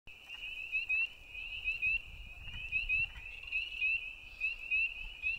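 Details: Frogs calling at night: a continuous high-pitched trilling chorus, steady in pitch, pulsing in rapid bursts about once a second, over a faint low rumble.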